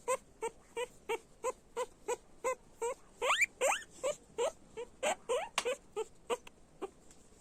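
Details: Loud guinea pig squealing from a group of animals, brief shrill squeaks repeated roughly three times a second, breaking into longer climbing squeals near the middle before thinning out at the end.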